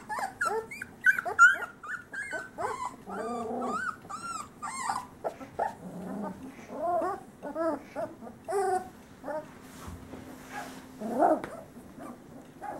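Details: Male Great Pyrenees puppies from a summer 2013 litter out of Bella and Ranger, eyes open and starting to walk, give a busy run of high, wavering whimpers and squealing yelps, rising and falling arcs overlapping from several pups, over a steady low hum.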